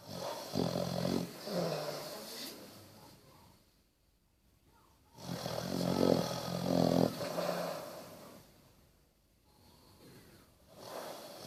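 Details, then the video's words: Basset Hound Bertie snores while sleeping: two loud, growling, rattling snores a few seconds apart, each separated by quiet pauses, then a softer breath at the end. "Snoring basset"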